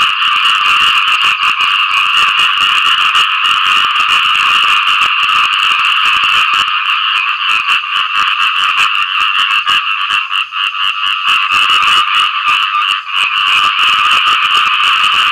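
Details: A khiat i-mo frog calls for a mate after rain with an unbroken, loud, rasping stream of rapid pulses, steady in pitch and volume throughout.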